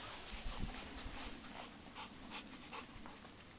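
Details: American Bulldogs climbing a hill on a hike, one of them Gruice, 8 months old and over 80 pounds; quick breathy panting in soft rhythmic bursts, with steady outdoor hiss behind.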